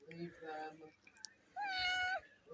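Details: Four-year-old female house cat named Kitty during the birth of a kitten, helped by a person and worn out; a human voice speaks, then a single sustained, level meow, slightly falling at its end.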